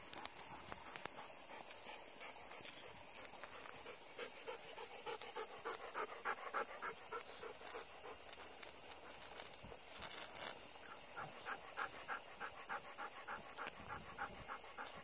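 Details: Panting Golden Retriever on a short Obon walk near 5 pm with occasional thunder; brisk, fairly regular breaths about three and a half per second, bursts of heavier panting mid-clip, over a loud continuous high hiss.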